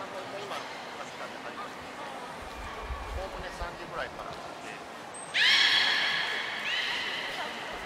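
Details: Captive belugas Gray, Nana and Mirai during a training session at Port of Nagoya Public Aquarium, 10 February 2024: murmuring background voices, then a short high whistle followed by a loud, bright harmonic squeal that holds and fades.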